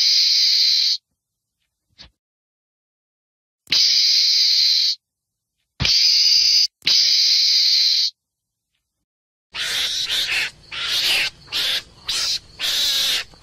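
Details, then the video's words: Meerkat screaming in long hissy bursts with silent gaps, then a quicker series of choppy, scratchy screeches toward the end over low hum. "Meerkats Scream"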